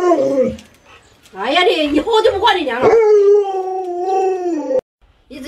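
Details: Luoluo, a household Alaskan Malamute, reacts indoors to its masked owner with a wavering, talking-style howl. Choppy rising and falling yelps give way to a long sustained wail that fades out. Human voices are heard at the edges.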